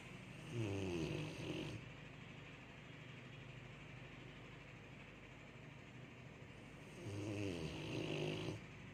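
A Rottweiler snores in deep, rasping bursts separated by a long quiet breath.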